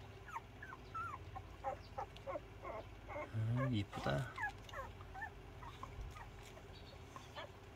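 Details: Dog whimpering and whining in a series of short, high, wavering cries, with one louder low yelp near the middle, while a person talks in Korean throughout over a steady background hum.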